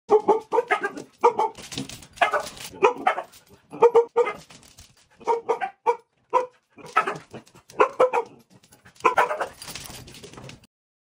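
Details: A Siberian husky, with a puppy, reacting dramatically to a vacuum cleaner during holiday cleaning: rapid runs of short yowling, bark-like howls in quick clusters, repeated throughout with brief pauses, and a whooshing noise near the end.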